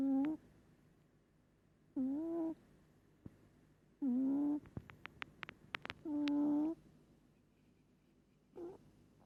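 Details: Sleeping pet cat Moli snores hard, a steady series of humming, nasal breaths, each about half a second and repeating every two seconds, with a brief burst of sharp clicks between two snores and a fainter snore at the end.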